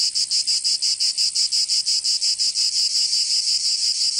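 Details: Cicadas singing in summer in Provence, southern France: a dense, high, buzzy drone pulsing about three times per second, the pulses blurring into a steadier hiss toward the end; no other sounds stand out.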